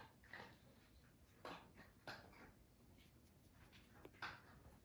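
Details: Puppies on a farm in County Kilkenny, Ireland, whimper while snuggling up to nurse; several short, soft squeaky whimpers come in scattered bursts over a quiet indoor background.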